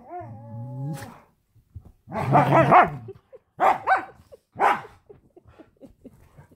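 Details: Huskies at home indoors, play-fighting, open with a smooth, wavering awoo howl lasting about a second, then burst into rough, loud barks and growly yelps in three clusters, trailing off into soft huffs and scuffling.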